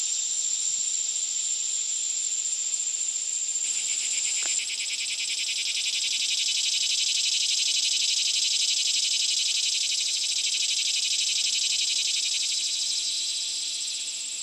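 Cicadas give a loud, continuous high-pitched buzzing drone with a fine pulsing texture.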